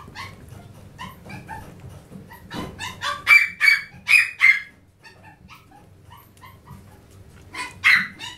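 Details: A spirited Chihuahua starts with soft, rapid little yips that build into four loud, piercing barks about half a second apart. After a quieter stretch of small yips, one final sharp bark follows.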